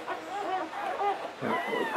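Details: English Springer Spaniel Latte in labour with her first litter in 2013, about to deliver the seventh of nine puppies; thin, wavering whimpers slide up and down, ending in a higher rising whine, with soft background noise.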